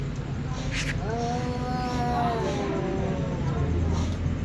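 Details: Two ginger cats meowing while a baby kitten looks on after eating; a drawn-out wavering meow with a falling tail over steady low rumble, with a short noisy burst just before it.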